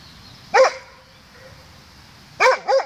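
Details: A Doberman barks back at its echo early in the morning on 16 May 2016, 07:18: one sharp, harsh bark, a quiet pause, then a fast double bark at the end.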